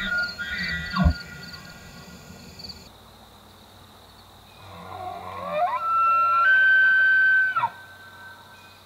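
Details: Rutting elk bugling in Pennsylvania or the Canadian Rockies: a short whistle and grunt, then quiet, then a long rising squeal that climbs and holds a loud, steady high whistle before dropping off.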